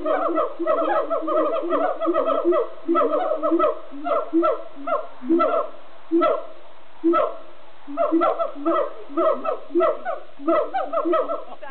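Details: Siamang song at Amersfoort Zoo, Netherlands: a dense, rhythmic chorus of booming hoots and sharp barks, rapid pulsed bursts running almost continuously with brief gaps.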